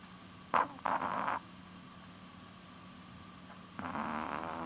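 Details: A nearly 12-year-old female Chihuahua named Porun snores while asleep at night, her large eyes not fully closed; two rough, raspy breathing bursts, a double snort early and a longer drawn snore near the end, over a faint steady hum.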